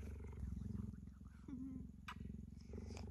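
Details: Steady, deep, rapidly pulsed purring from Gerda the puma as she lies with a person, an even low throbbing rhythm interrupted by a short squeak and quiet words from a woman talking softly.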